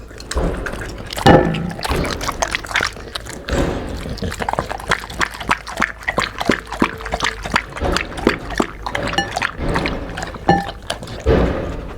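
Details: Pouring and sloshing liquid mixes with bursts of speech and faint music, with no animal calls.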